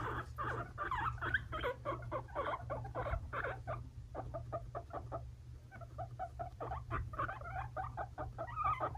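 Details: Two five-month-old male guinea pig brothers, Fluffy and Cocoa, kept as pets, fighting indoors: dense runs of harsh, rapid squeaking pulses with a short lull around four seconds, over a steady low electrical hum.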